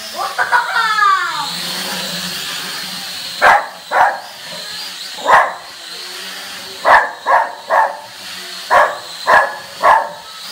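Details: A dog confronting a drone starts with a wavering whine, then breaks into sharp barks in pairs and triplets, over a steady high hum.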